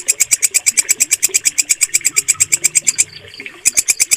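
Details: Short burst of a walang kecek katydid, used to master songbird voices: bright, grating pulses ticking about three per second, pausing for half a second before starting again.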